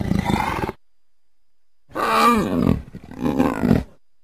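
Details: A leopard makes a short rasping burst, then after a pause two louder, throaty roars with a rising-falling tone, each under a second long.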